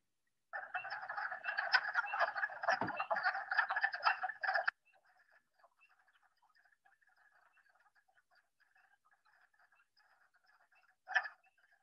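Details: About 50 male wood frogs call in a Brown County, Indiana pond in early spring, breeding just after snowmelt; rapid, duck-like clucking croaks overlap into a steady rattle.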